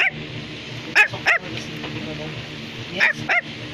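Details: Pet Bichon Frisé giving sharp high yips in two quick pairs separated by a pause, over a steady low indoor hum.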